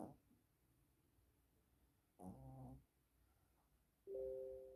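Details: Yorkshire Terrier asleep and snoring, with two drawn-out nasal droning breaths, the second more whining and tonal, separated by near silence indoors.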